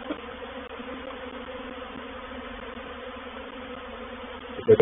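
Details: Reproductive swarm of honey bees moving into a bait hive (swarm trap) at Painted Peacock Manor, 04/07/21. A steady, dense droning hum with a low and a mid hum layered together, continuous for the whole stretch, then a brief knock at the end.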